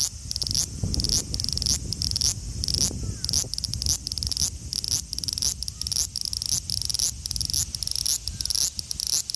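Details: Male large brown cicada (Graptopsaltria nigrofuscata) recorded on 5 August 2019 in Osaka City, Japan, with an Xperia XZ1 phone; a dense, sizzling high drone pulsing in rapid regular beats, with low rumbling background noise.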